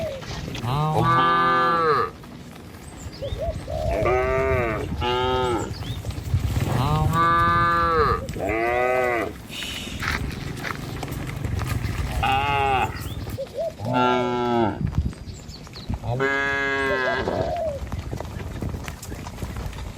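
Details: Herd of dozens of tame cattle moving in a line over hills and a river bridge on their morning way to pasture; repeated bellowing moos roughly every two seconds, several animals calling in turn over a steady low rumble.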